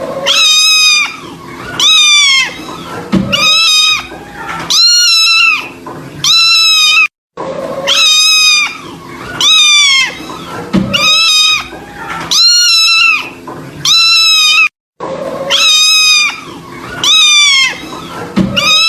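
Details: Plaintive kitten meows, loud and high-pitched, each one bending up then down, grouped in bursts of about five with short silences between repeated runs.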